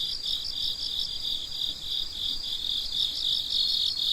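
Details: Crickets heard at night, bright high chirps beaded into quick regular pulses, roughly four or five a second, over a constant shrill background trill.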